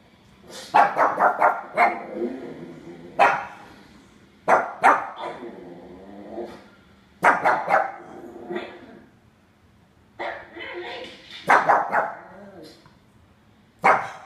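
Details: A pug puppy gives bursts of sharp, high barks, often in quick doubles and triples, barking at dogs heard on a TV screen that he thinks are nearby.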